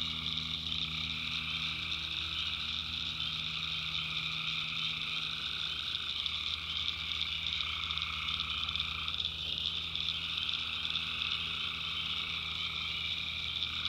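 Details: Night chorus of tree frogs in a North Carolina backwoods swamp, recorded by the maker: continuous high-pitched droning mixed with a lower trilling band that steps up and down in pitch several times over the clip.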